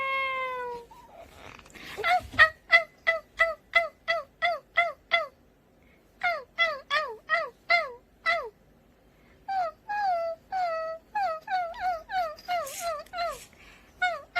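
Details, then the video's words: Cat sound: one long meow opens, then rapid bursts of short, sharply falling mews, roughly three per second, come in runs broken by brief pauses, with faint clicks and rustling between them. "야옹이 소리 무서워"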